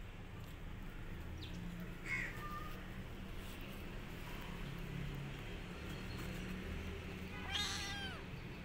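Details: A lonely rescued kitten missing its mother mews faintly twice, once near the start and once toward the end, the second a falling, wavering cry, against steady low-pitched background noise.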